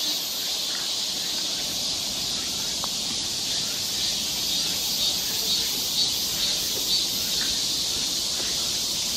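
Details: Cicadas droning in a summer forest along a trail in Seoul, Korea: a dense, steady, high-pitched hiss holding unbroken for the whole stretch, with faint scattered ticks beneath.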